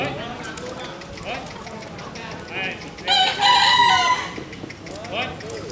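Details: Bekisar crowing at the Pratama class final of a national bekisar voice contest, Pakualam Cup, Yogyakarta, 3 December 2017; one loud, high, harmonic crow of about a second stands out amid fainter crows from other contest birds and crowd murmur.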